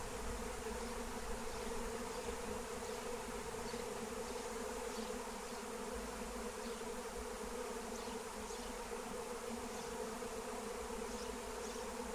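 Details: Wild honeybee swarm on the wing during capture with Melissa plant, loud constant buzz rich in layered harmonics, steady in level across the whole stretch, with faint distant chirps.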